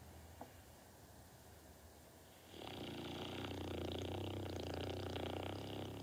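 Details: Dog named Norton deep asleep: quiet at first, then from about two and a half seconds a loud, sustained, vibrating snore with a rough throaty rumble.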